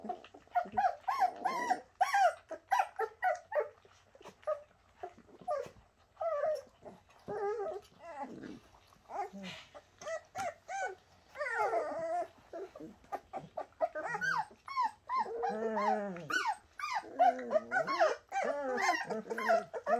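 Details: Bernese Mountain Dog puppies named Shasta's litter, several young pups whining and whimpering together indoors in overlapping high, wavering cries, with brief yelps and a short human exclamation at the end.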